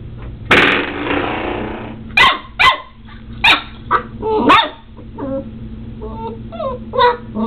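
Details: A seven-week-old Border Collie puppy, Omega, scuffling with a doorstop: a rattling thud and scrape, then a burst of sharp barks, followed by small whiny yips and squeaks.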